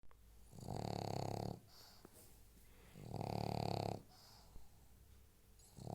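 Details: A pug snoring: two long, rasping snore bursts, each about a second long and about two seconds apart, with quieter whistling breaths between them.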